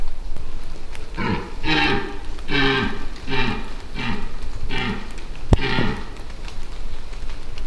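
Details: A very vocal dominant red deer stag during the 2024 rut in the Massif de l'Aigoual, giving a rapid series of about six short, deep, harmonic grunting bellows over five seconds, with one sharp click near the end.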